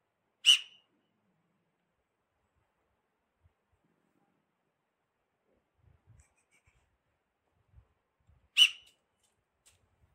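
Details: Himalayan tahr alarm call near a watchtower 4 km from Chopta: two sharp, hissy whistled bursts about eight seconds apart, with near silence and a few faint taps between.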